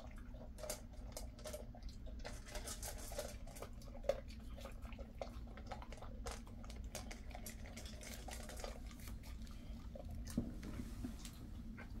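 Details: Steady low indoor hum with scattered drips, taps and faint clicks, and no animal voice.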